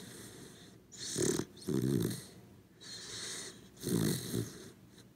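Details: Sleeping corgi dog snoring, recorded for relaxation: slow, rough snores in pairs roughly every three seconds, with breathy wheezing between them.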